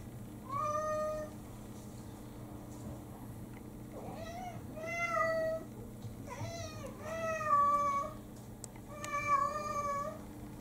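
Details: Domestic cats in a home demanding food right after their owner wakes in the morning; a series of drawn-out, harmonic meows, roughly five calls over ten seconds, some rising then falling, with a steady low household hum underneath.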